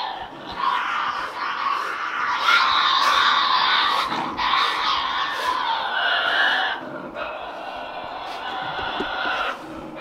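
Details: Several Tasmanian devils squabbling over food at night, screaming together in a dense, grating chorus of shrill, rasping cries that swell and stop abruptly, with snapping clicks throughout.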